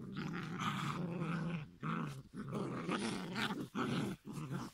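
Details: Near-continuous deep, grinding growls from five-week-old giant schnauzer puppies, broken by a few short breaks, loud and close in a small indoor space.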